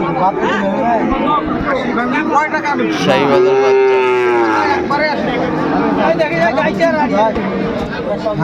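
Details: Sahiwal cattle, bull calves for sale at Ambari cattle market in Dinajpur at the start of trading on 18 November: a drawn-out, slightly falling low moo around the middle, amid constant crowd chatter and bargaining voices.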